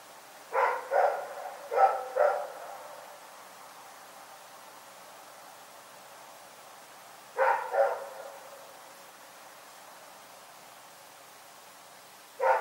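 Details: Rex, a dog, barking in the night at Pyrga: four sharp barks in quick succession, several seconds of near silence, then two barks, another long quiet gap, and one last bark at the very end.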